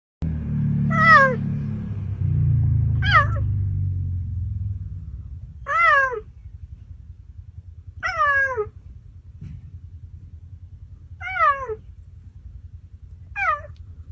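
A cheetah gives short, falling meows every two to three seconds over a low rumble.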